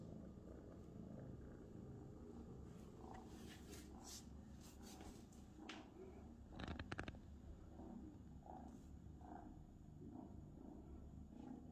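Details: Purring Abyssinian cat indoors, a continuous deep rumble held for the whole stretch, broken now and then by brief clicks and handling noises.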